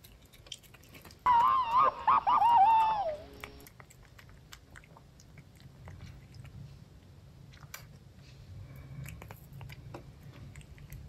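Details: Female house cat gives a single wavering meow of about two seconds that dips and falls at the end, followed by quiet chewing and crunching sounds in a small room.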